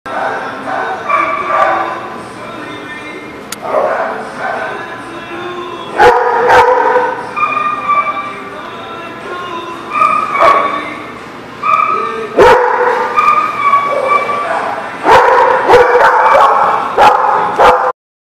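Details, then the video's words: Dogs at a barking lot on 3/6/20, giving repeated barks and yips in bursts with little pause, several voices overlapping, loud sharp clicks and people talking in the background. "The Barking Lot"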